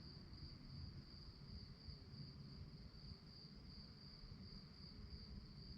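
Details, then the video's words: High, rapidly pulsing cricket chirps at night form an even, unbroken trill, with a soft low background rumble beneath. "relaxing sounds of crickets"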